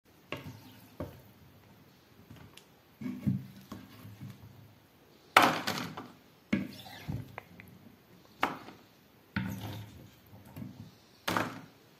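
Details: Indoors, dishes and wooden objects clatter and knock in irregular bursts separated by quiet pauses, with no animal voice heard.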